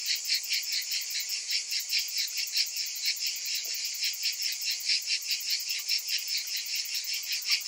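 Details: Cicadas on a hot summer afternoon, a dense chorus of many insects: harsh, shimmering buzz pulsing about two to three times a second, steady throughout, with no other clear sounds.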